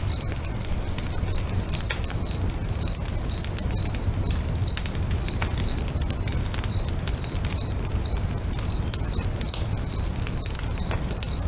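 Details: Lakeside crickets at sunset chirp in an even, high, rapid rhythm, roughly twice a second, while a bonfire pops and crackles throughout above a soft low rumble.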